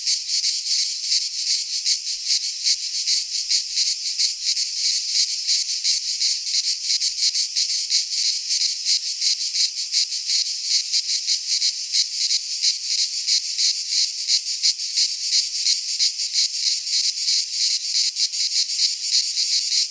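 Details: Cicadas sing in a pine forest in Greece at midsummer. The intense, sizzling high buzz pulses quickly and evenly and keeps going without a break, with no birds, wind or voices.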